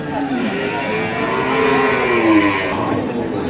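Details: Friesian dairy cows at Ambari market, a cattle sale: a drawn-out low moo that slides down in pitch, rising through a busy, noisy crowd with voices talking throughout.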